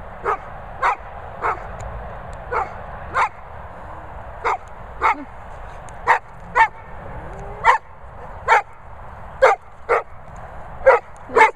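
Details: A golden retriever 'talks' in a steady run of about fifteen short, yipping, moaning syllables, spaced under a second apart, some with a brief rising slide, against a low steady background hum.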